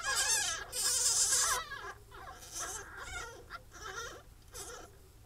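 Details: Pine marten babies in their first week, bred in captivity in England, give a loud shrill squealing cry followed by softer wavering whimpers and mews, with a low hum underneath.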